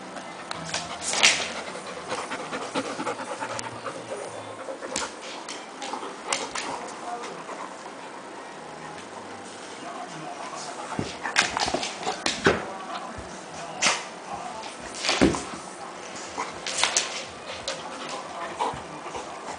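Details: Golden Retriever named Bo on a hot summer night, eager to play: breathy, irregular panting bursts, quieter early on, then louder clustered puffs after about eleven seconds, with faint human voices in the room.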